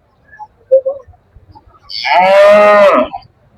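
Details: Local cattle at a busy livestock market in Jagannathpur ahead of Qurbani, 2026: one long, loud moo with a bright, rich tone held for about a second, preceded by brief voices and faint market noise.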